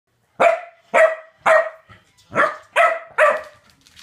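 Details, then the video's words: Corgi barking after being given a femur bone: six sharp, loud barks spaced about half a second apart, each with a strong tonal core and bright harmonics, followed by a soft mumble. "Corgi vs Femur"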